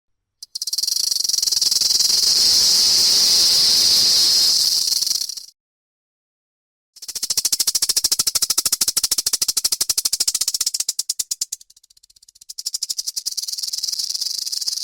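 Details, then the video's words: Rattlesnake shaking its tail rattle to warn intruders: a loud, dry, hissing buzz held for about five seconds, a pause, then a rapid pulsed rattle of fine ticks that briefly fades and resumes. "SOM DE SERPENTE DE CASCAVEL"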